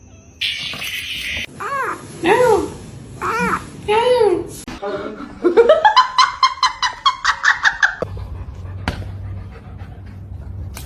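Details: Kitten giving four arched, wavering meows in quick succession, each rising then falling, followed by a rapid run of short rising pulses like laughter and some human voices.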